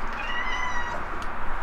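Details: A pet rescue cat gives a single drawn-out, slightly wavering meow lasting about half a second, over a steady loud background hiss.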